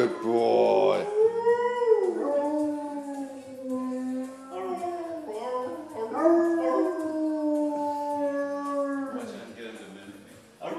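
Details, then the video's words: Pet dog singing for its owners, giving long drawn-out howls that rise, hold and fall in about four sustained phrases, some wavering, with human voices blending in at the start of phrases. "The singing dog"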